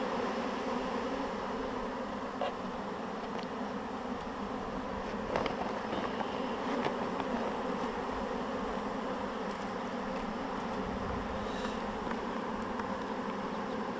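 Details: Honeybee swarm being shaken into a hive, the bees marching right in after two small shakes; a dense, steady droning hum fills the whole stretch, with faint scattered clicks and taps from handling.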